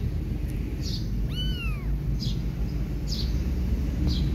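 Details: Mother cat Silky licking and cleaning her kittens, who want milk rather than grooming; a single brief high mew that rises and falls, against constant low rumbling and scattered faint chirps.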